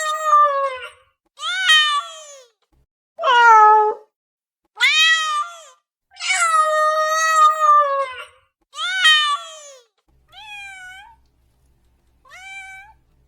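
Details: Domestic cat seeking immediate attention gives a series of loud, varied meows, some falling, some long and wavering, followed by two softer, higher rising-and-falling calls.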